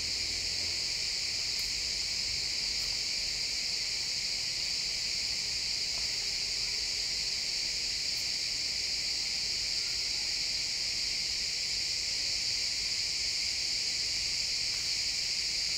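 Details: Pine forest at sunset full of chirping crickets: a continuous, dense, high trilling chorus holding steady throughout, with a few faint ticks and rustles in the background.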